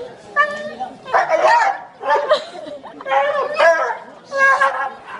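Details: Excited dog Zoey greets her owner, home after a long stay out of the country, with harmonic yelping whines roughly once a second, mixed with people talking and soothing her.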